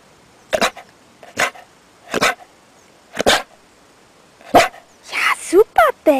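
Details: A pet dog being trained to bark on the cue word "Bell" and rewarded with praise gives single sharp barks about once a second, five in all, followed by a man speaking German.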